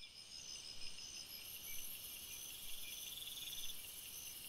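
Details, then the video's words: Crickets chirping at night in a forest: a dense, steady high-pitched chorus of overlapping shrill trills and pulsed chirps, with some faint higher ringing tones; no other clear sounds. "Crickets Sounds"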